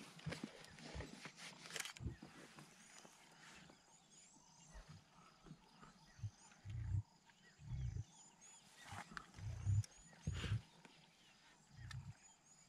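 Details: Two lions in South Africa's Mkuze Falls Game Reserve, Zululand, feeding on a wild boar killed by lionesses the evening before; deep low growls and tearing thuds recur irregularly, with scattered birdsong chirps above.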